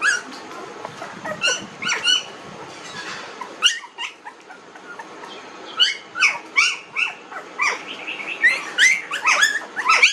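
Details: Young puppies aged 19 days squealing and whining, with a brief lull midway before a fresh burst of sharp, rising yelps and high squeaks from several pups together.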